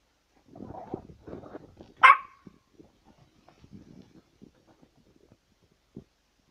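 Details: A begging Chihuahua gives a single sharp, high yap after soft low murmuring and rustling.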